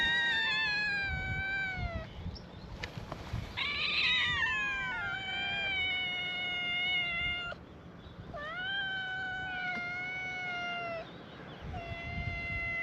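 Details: Free-roaming cats at a cat gathering on an island, welcoming a visitor with a chorus; long, clear, drawn-out meows follow one another almost continuously, each gently falling in pitch, some overlapping.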